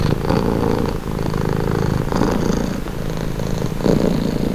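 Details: Cat purring close up, a low, continuous rumble with rhythmic swells about once per second as the breath cycles, calm and steady throughout.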